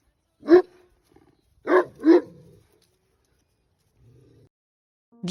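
A mastiff gives deep, booming barks, one alone and then a quick pair.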